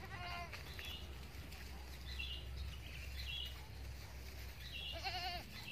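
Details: Female Etawa crossbreed goat, kambing Bety Kros bor, raised as a future breeding doe, bleats in two short quavering bursts at start and end, with fainter bleats between over a constant low machine hum.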